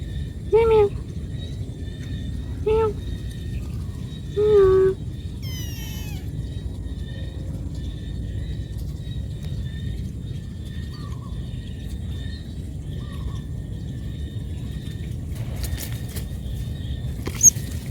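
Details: Cat calling to its mother for food gives three brief, clear meows in the first five seconds, each rising and falling. A quick high sweeping sound follows, then steady low rumble, faint tones and a few sharp clicks near the end.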